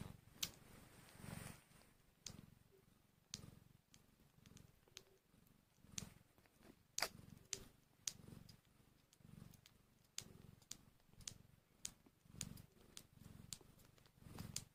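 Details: Hour-old newborn kittens, hungry, keep up a low throbbing purr in repeated short bursts, overlaid by frequent sharp clicks and smacking noises close by, recorded indoors.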